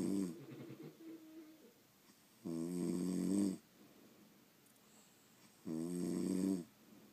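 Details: Dozing French Bulldogs indoors produce long buzzing snores lasting about a second each, separated by quiet breathy pauses, a slow regular sleeping rhythm.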